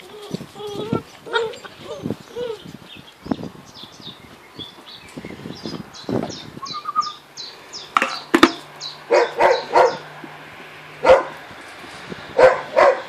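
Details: Grand Basset Griffon Vendéen puppies of the H-litter eating meat; high squeaky whines and yips early, then a run of sharp clipped barks and snorts toward the end, with a faint steady hum underneath.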